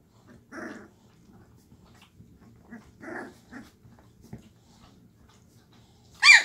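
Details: Two-and-a-half-week-old Llewellin Setter pups finding their voices in the whelping box in the evening: soft rolling growls and grunts at irregular intervals, ending in a loud sharp rising yip.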